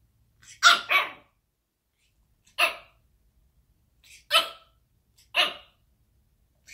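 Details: Pekingese puppy, 10 weeks old, barking while boxing its own reflection in a mirror: sharp, high-pitched yips, some in quick pairs, spaced irregularly over about six seconds in a quiet room.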